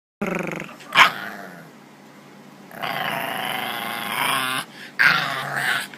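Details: Bulldog puppy Bentley, a stubborn boy overtired after a long walk and playtime, with hiccups, grumbling in protest at a nap: long harmonic growling moans with a sharp hiccup-like burst near one second and another near five.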